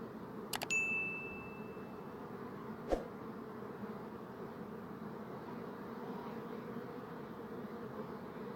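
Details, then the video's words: Buzzing bees make a continuous low hum; near the start a bright metallic ding rings out briefly, then a single click, while the droning goes on underneath. "Bee Buzzing Sound"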